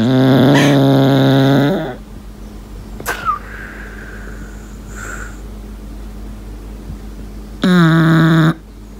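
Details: Lincoln, a pet English Bulldog, whistles while asleep indoors: two drawn-out, nasal whistling tones, the first near two seconds long and the second shorter, separated by quiet room hiss with faint small sounds between.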